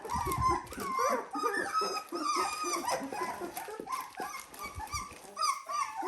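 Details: Dalmatian puppies aged 17 days fill the air with dense, overlapping whines and squeals, bending up then down, the calls crowding together with little pause and some low rumbling underneath.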